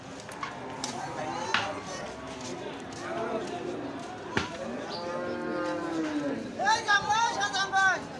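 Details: Cattle at a busy livestock market in Bangladesh, with a drawn-out, wavering moo rising out of crowd chatter, followed by further shorter lowing calls among people's voices and market bustle.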